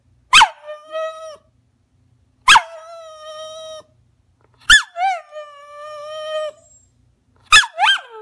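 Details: Small rat terrier asking to jump up on the sofa, giving four pleading whines about every two seconds, each opening with a sharp yip and then holding a long, level, nasal tone before breaking off.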